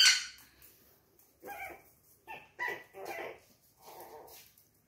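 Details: Chihuahua puppy indoors, playing by itself: short high yips and barks in four separated bursts after an initial sharp noise, with a gap of quiet between each.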